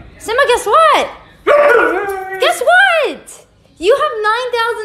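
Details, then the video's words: Pet dog 'talking' in a funny compilation: arched, whining yowls that rise and fall in pitch, given in three bursts with short pauses, while a person coaxes it to say 'I love you'. "Funny Talking Dogs"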